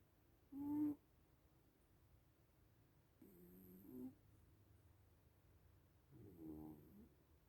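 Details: Drowsy little cats in deep sleep give three soft snores, low buzzing breaths several seconds apart, the first short and sharper, the later ones longer and fainter.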